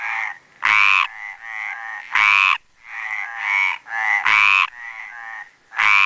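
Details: Mediterranean tree frogs calling at the Planxista pond, Les Preses, Garrotxa, a male to the fore: raspy, nasal croaks, the loudest roughly every one and a half seconds, with fainter overlapping croaks filling the gaps.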